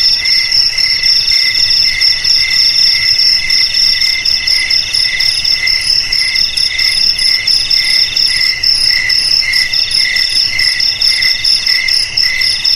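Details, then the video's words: Sustained high, tinkling cricket trill with layered bright tones, pulsing in brisk irregular chirps from start to finish against a quiet background. "Suara JANGKRIK Pengusir TIKUS"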